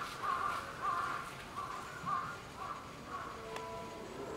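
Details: Baby common squirrel monkey with its mother at Tobu Zoo: a quiet series of six short, mid-pitched chirps spaced roughly half a second apart, over a faint steady background hum.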